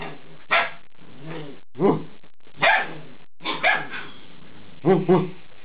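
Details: Alaskan Malamute puppies aged eight weeks vocalizing during a chat with their owner; a run of broadband yips and grumbling, talkative barks in clusters, with possible human voice mixed in.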